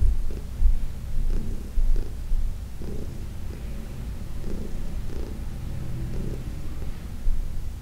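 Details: Senior cat Heidi, about 14, adopted from the Humane Society of New York City, purrs while being massaged in June 2021; soft low rumble pulsing with each breath, occasional faint rustling.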